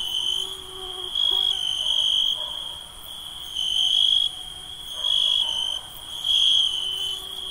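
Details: Night insects calling: a steady high-pitched ringing tone, swelling into louder trilled bursts about once a second or two, layered with fainter higher tones and a soft background hiss.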